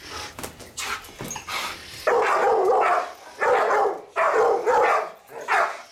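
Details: Family protection guard dog giving several loud, harsh barks in quick bursts after a few quieter sounds at the start.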